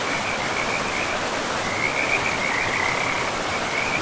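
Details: Frogs by a forest river give a string of quick high croaks, thin at first then stronger past the midpoint, set over the constant hiss of running water.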